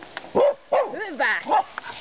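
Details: Two Finnish Karelian Bear Dogs baying wild boar: three loud, harmonic, wavering barks about half a second apart, rising then falling, with a man speaking Finnish softly in between.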